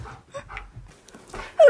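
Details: Siberian Husky indoors, excited after a talking button says his best friend Surfer is coming over; soft snuffles and breathy huffs give way to a sudden loud, high whine sliding downward in pitch, voices nearby.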